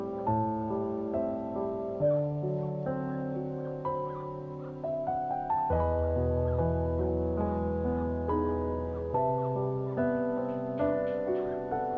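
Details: Gentle piano music plays in a steady, bouncing rhythm with no animal voice heard.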